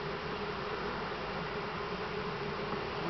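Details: Three pounds of honey bees being dumped into a new hive; a dense, steady buzzing hum of many bees fills the moment without a break.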